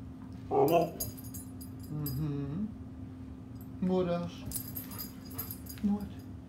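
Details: Talkative pet Husky answering back indoors: four short groaning, whining utterances with bending pitch, one a longer wavering moan, separated by pauses of about a second, with faint jangling and a steady low hum in the background.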